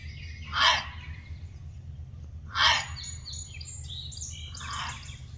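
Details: Gray fox barking: two harsh, raspy barks about two seconds apart, with high chirping birdsong between and after them and a steady low rumble underneath.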